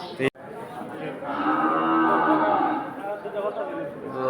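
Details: At Batajor cattle market in Bhaluka, Mymensingh, Bangladesh, a cow gives one sustained, steady moo lasting about two seconds after a sharp click, over a background of crowd chatter.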